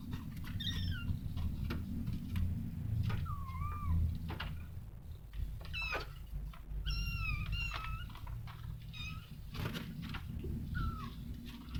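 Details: Domestic cat, a mother caring for her kittens; short, high, thin mews, several bending downward or upward, come in irregular bursts throughout, some in quick pairs, over a steady low rumbling background.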